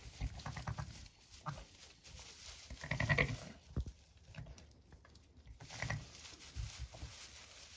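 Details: Freshly born Zwartbles ram lambs, born at 6am on a County Kilkenny farm in Ireland, beside their mother: deep, quiet throaty murmurs repeat in short bursts, one fuller bleat-like call in the middle, amid faint rustling.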